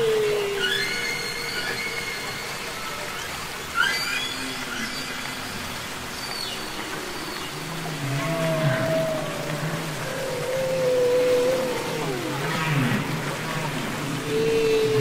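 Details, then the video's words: Underwater humpback whale song from Capitol Records ST-620, a recording of real whales singing and communicating: drawn-out wavering moans, deep low grunting pulses and thin rising whistles, layered over a constant watery rumble. "Songs Of The Humpback Whale"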